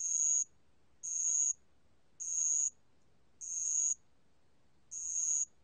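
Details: Bell cricket (알락방울벌레) from a 2020 National Institute of Biological Resources recording: high, pure ringing bursts about half a second long, repeated roughly once per second, five in all, over a quiet background.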